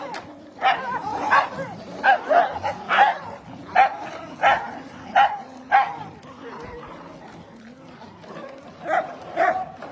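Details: A dog barks in sharp, harmonic-rich bursts about once every second, some doubled, with a quieter pause before two final barks; soft background sounds underneath.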